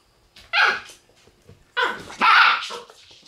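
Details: Shiba Inu puppy, a newly arrived youngster noted on November 6, gives a short sharp yelping bark, then after a pause a longer doubled bark-whine with a brief upward squeal, all in a quiet indoor setting.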